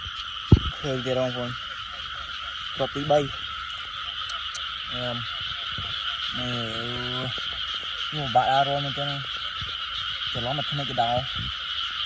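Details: Night frog chorus in Cambodia during a lamplit frog hunt: about seven bursts of deep, buzzy, stacked croaks, some doubled or tripled, set against a constant shrill insect drone and a sharp click near the start.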